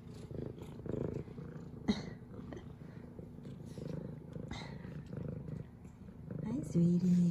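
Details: Female F2 Savannah cat named Zara greeting her owner with purrs and headbutts; continuous deep rhythmic purring fills the clip, overlaid by a woman talking softly and a short chirp near the end.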